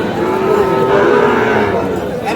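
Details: Sahiwal bull calves bought by a Dhaka farmer moo with a long, steady low-pitched tone for about two seconds, against a constant murmur of crowd chatter and men talking.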